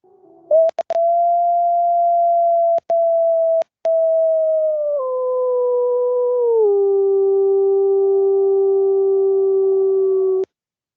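A wolf gives a long, smooth, steady howl that steps down in pitch toward the end.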